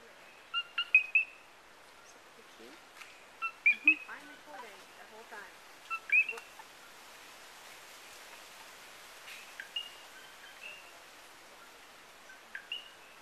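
Coqui frogs give short, high two-note calls, a brief low note and then a rising whistle.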